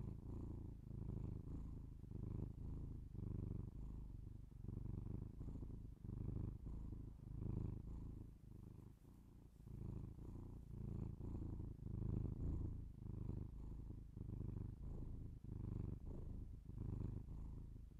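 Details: Purring house cat, binaural ASMR recording made indoors: a continuous low, buzzing rumble pulsing in regular breath-paced waves of about one second, loudness gently swelling and fading across the passage.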